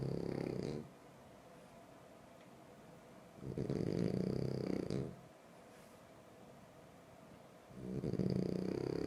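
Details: Deep, rattling snores from a sleeping French Bulldog come in three regular bouts about three and a half seconds apart, each a harsh drawn-out breath separated by quiet.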